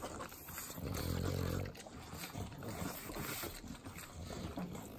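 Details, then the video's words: Pugs, three of them, lapping up butter in Southern California: a deep, droning nasal snort swells for about a second early on, then quick wet licks and smacks follow in a rapid, uneven patter. "Pugs Eating Butter - Calming Sounds of Sloppy Licking, Snorting"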